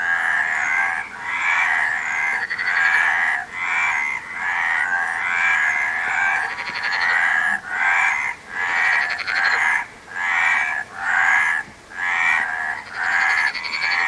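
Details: Many frogs call together in steady pulsing bouts, each burst of harsh, buzzy croaks lasting about a second before a short dip, repeating through the recording.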